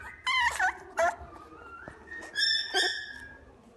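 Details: Boston Terrier at the Inu no Ie pet shop, Fuji branch, giving high, harmonic whimpers and yips indoors: a few sharp cries, a thin sliding whine, then a longer level whine that fades in a quiet room.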